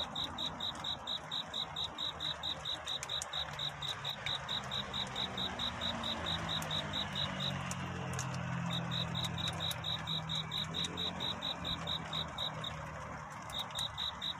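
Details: Courting cricket at night singing its chirping song, high pulses about twice per second that pause twice, while a low humming drone rises and fades underneath.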